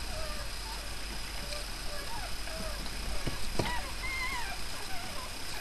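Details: A litter of five newborn puppies, three male and two female, born overnight to Miley, makes scattered faint mewing squeaks with one clearer high rising-falling whine late on, under constant background hum.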